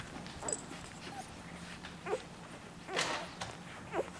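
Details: Newborn Labrador Retriever puppies from Lily's litter, one day old, recorded 01/04/2012; faint, brief high squeaks and whimpers come in scattered bursts about once a second over a soft indoor background hiss.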